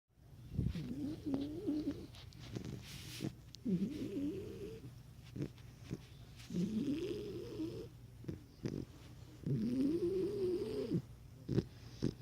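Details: Cane Corso puppy asleep, snoring ridiculously loud: four long rasping, tonal snores with wavering pitch, each lasting about a second, separated by quieter breaths and small clicks.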